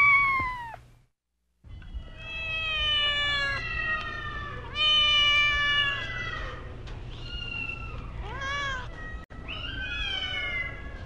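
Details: Several kittens frolicking on farm grass with dogs, rabbits, cows and mice meow one after another in a busy, overlapping chorus of high, rising and falling cries after a brief silence.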